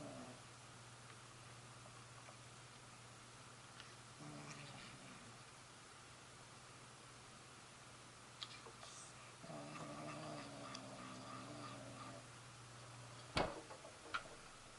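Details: Stray kitten on a rainy day, hungry and begging for food after scratching at a window, then brought indoors and fed; faint drawn-out meows near four seconds and a longer one around ten seconds, over steady rain hiss with a sharp knock.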